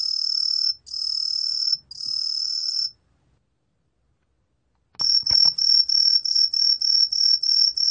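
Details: Tree cricket Truljalia hibinonis, 2020 National Institute of Biological Resources recording: three long, sustained high whistles, a two-second silence, a soft click, then a fast series of short piping pulses, about three per second.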